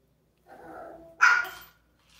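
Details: Dog with an interactive toy gives a soft, drawn-out whine followed by a single sharp, high bark.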